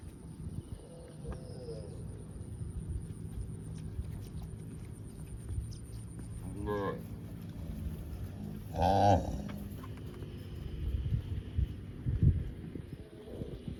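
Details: Cows on a farm, running and jumping in open fields, give two moos, a short one near the seventh second and a louder, fuller one near the ninth, above steady low thumping and field rumble.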